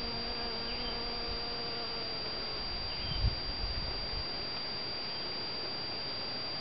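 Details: Honey bees pollinating white and yellow Shasta daisy flowers in a garden in spring or summer: a low, steady droning hum with faint overtones through the first half, fading out, then a brief thump near the middle over constant background hiss.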